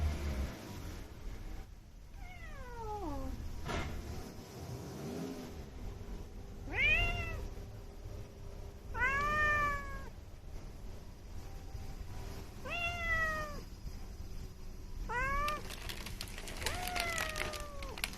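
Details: Outdoor calico community cat calling repeatedly: about six descending meows spaced a few seconds apart, some longer and drawn out, over faint background hum.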